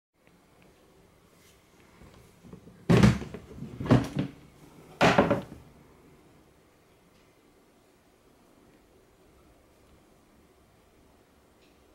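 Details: Three dull thuds and knocks, like a cupboard door closing, break an otherwise quiet indoor room, with no animal voice heard.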